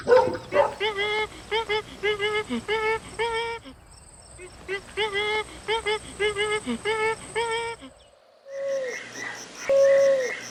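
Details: Fluffy puppies playing outdoors in sunny green nature; two bursts of short, high, clear yips repeated about twice a second, separated by a brief pause, ending with a longer drawn-out whine.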